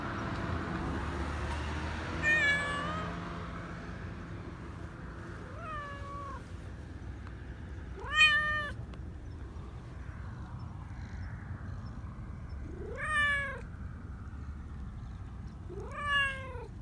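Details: Black Persian cat, a community cat living in a park in Japan, excited and affectionate while being petted: five rising, tonal meows spaced a few seconds apart over a low, steady background hum of traffic.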